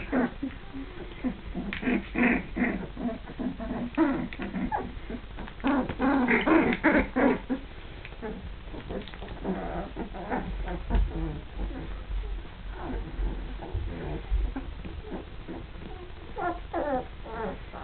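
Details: Young Border Collie pups at two and a half weeks, starting to play, make a long run of chattering growls and thin whines in quick irregular bursts, with a soft low rumble partway through.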